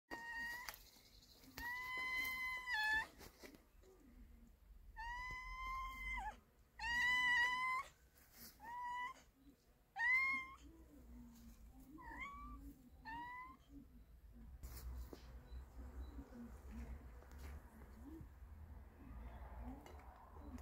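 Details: Meows from a pregnant cat and a male cat eating together: a run of clear, harmonic, drawn-out meows, several loud and wavering, some shorter rising ones, with quieter rustling and eating noises between them.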